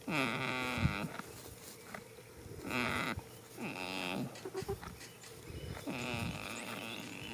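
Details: A goat asleep in a field on the first day of spring snores in harmonic, droning breaths roughly a second long, recurring every two to three seconds, with slight pitch wavering and quiet rustle between.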